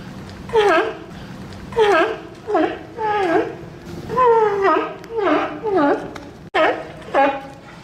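A sea lion gives a series of hoarse, harmonic bleating calls, each sliding downward in pitch.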